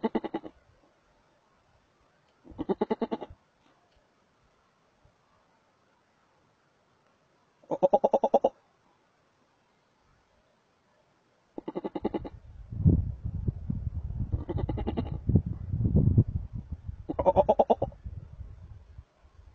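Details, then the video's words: Markhor in the wild at Chitral Gol National Park, Pakistan, giving six short, nasal, goat-like bleats at uneven intervals of two to five seconds, with a stretch of low rumbling noise under the later calls. "Calling Markhor in Chitral Gol national park pakistan"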